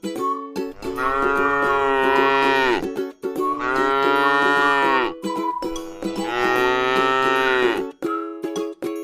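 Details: Tame cow resting in a beautiful rice field, giving three long, drawn-out moos of about two seconds each, with a rich harmonic tone and short pauses between them, over steady plucked background music.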